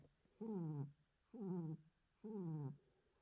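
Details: Tiger giving three short, low moaning calls in a row, each sagging slightly in pitch, recorded 9 January.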